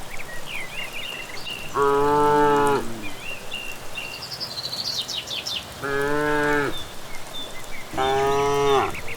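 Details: Herd walking back from grazing in the evening through village greenery: three steady, flat moos of about a second each, with birds chirping and trilling between them over a soft hiss.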